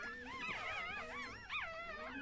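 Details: Indoors during a Chihuahua's first birth at one and a half years old, a thin, warbling high whine wavers continuously up and down, with a brief rising squeak near the end.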